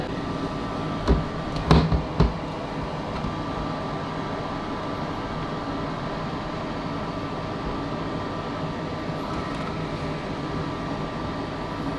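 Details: Steady indoor hum like air conditioning, with a few brief knocks early on and no animal sound.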